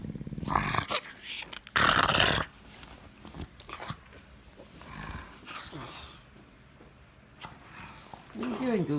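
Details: A pet dog, recorded in May 2017, gives low, rumbling grumbles and short growls in irregular bursts, while a person talks to it in between, with louder broadband bursts of speech and handling noise.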